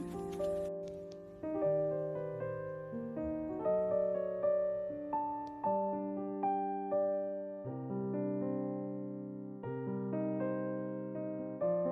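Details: Soft, slow electric piano plays sustained chords with gently struck notes, and no animal voices can be heard.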